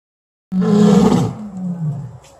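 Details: A lion at Landgoed Hoenderdaell, a lion and tiger sanctuary in the Netherlands, gives a deep, throaty roar that starts abruptly and slowly fades to a rumbling groan.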